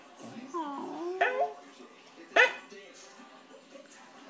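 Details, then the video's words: A Corgi whimpers for Cheetos: short wavering whines that bend up and down, then a sudden sharp yip. The room is quiet apart from faint background hiss. "Corgi cries for Cheetos"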